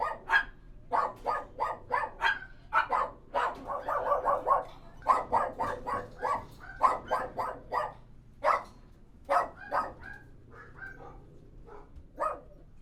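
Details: Kennel interior full of barking dogs, a dense run of quick overlapping barks that thins out toward the end, with a faint background hum.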